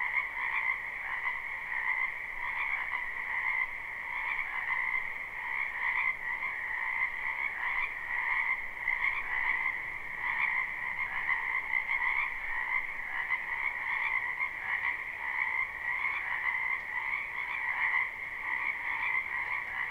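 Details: A spring wetland behind a home alive with croaking frogs, captured live: twenty seconds of unbroken, pulsing chorus, many overlapping trilled calls in two bands and gentle rises and dips in loudness throughout.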